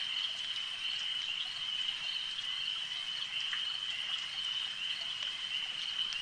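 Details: Frogs at a lake: a constant shrill trilling chorus holds one high pitch throughout, with light patter like drops and faint clicks underneath.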